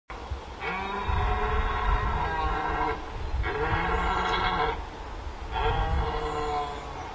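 A red deer stag bellows three times, each deep, harsh roar lasting about two seconds.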